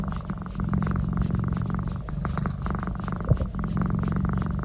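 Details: Pet cat enjoying a neck massage, purring in a steady low rumble of rapid pulses that swells and dips with each breath, with a brief sharp knock near the three-second mark.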